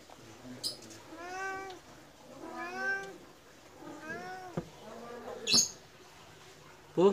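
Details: Begging for food right after eating, a medium Persian cat gives three long, rising-then-falling meows about 1.3 seconds apart, followed by clatter and a person's voice.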